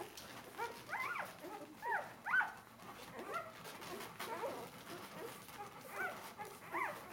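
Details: Four-day-old Bernese Mountain Dog puppies jostling at their mother's teats while nursing, uttering thin, high, wavering whines in bursts roughly every second, with quiet shuffling between cries in a small room.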